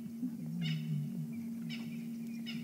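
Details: A lion (Panthera leo) on a morning safari drive gives a low, drawn-out moaning call over a steady engine hum, heard after a lioness chased and missed a group of six or seven buffalo, seemingly in frustration.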